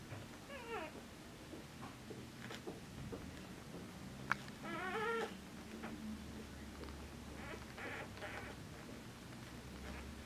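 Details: Border Collie puppies, four days old, from a litter born 29 August 2014, recorded 2 September 2014 indoors; high harmonic squealing whines rising and falling, a few short bursts spread across the clip, with low room rumble.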